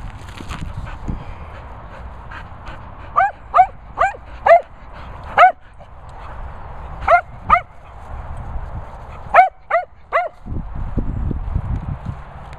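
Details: Cocker Spaniels, three dogs, at a training and boarding kennels in the Worcestershire countryside, give short, sharp, harmonic barks and yips in irregular bursts, about ten over twelve seconds, over a steady background hum and low rumble.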